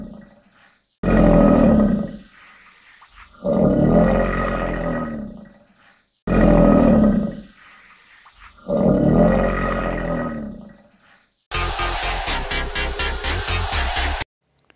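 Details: Alligator roar: four long, deep, rumbling bellows in two pairs separated by short pauses, followed by a harsher rapid pulsing rattle near the end.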